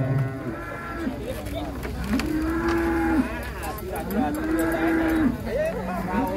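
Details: Big contest cattle coming down from a truck give two long, steady, level moos of about a second each, separated by shorter rising calls, over a steady murmur of people and outdoor noise.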